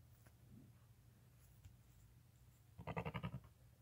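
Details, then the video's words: A lamb born the same day, less than five hours old and beside its nursing mother, lets out a quavering bleat that pulses rapidly for about half a second near the end, after quiet rustling and low hum. "Newborn lambs walking, crying, and nursing with mother"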